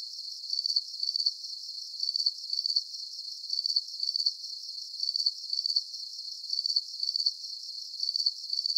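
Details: Shrill, pulsing cricket chirps sound in paired bursts at a steady rhythm, about forty bursts a minute, against a soft high background hiss with no other sounds.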